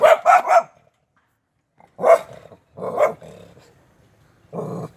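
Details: A dog barks in loud, harsh bursts: a quick triple of barks at the start, then after a pause single rough barks with growling undertones, spaced about a second apart, ending with a longer low growl-bark.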